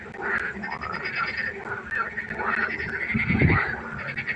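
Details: Frogs croaking at night by a pond, a dense chorus of overlapping harmonic croaks with a brief low thump near the end.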